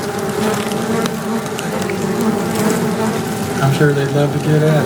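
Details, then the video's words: Close recording at a box of queen honey bees piping; steady hive buzz, with a series of short low pulsed toots near the end. "Piping Queens"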